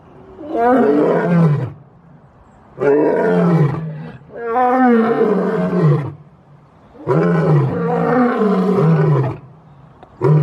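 A lion gives deep, rumbling roars in long bursts, each sliding down in pitch.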